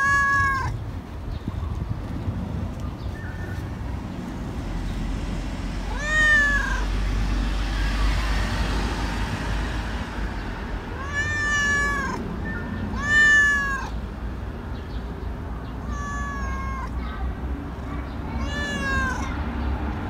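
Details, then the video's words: Tabby stray cat meowing outdoors in an urban setting: four clear, tonal meows with bending, slightly falling harmonics, spaced several seconds apart over steady low traffic rumble. "What Does This Cat Want~?"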